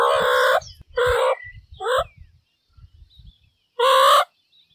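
Rough, nasal squawks from a meerkat come in half-second bursts, some dipping in pitch at the end. Softer low murmurs fill the gaps before a final loud, grating call.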